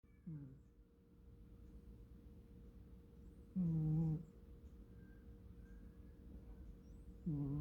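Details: American Shorthair cat asleep and snoring indoors: low, droning, harmonic snores lasting under a second, spaced about three to four seconds apart, with a faint steady hum between breaths.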